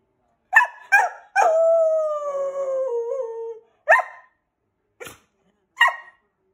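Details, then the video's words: Keeshond Simba joins in while happy birthday is sung for his 4th birthday. A couple of sharp yips lead into one sustained, gradually dropping howl lasting about two seconds, followed by three scattered short barks. "howling keeshond"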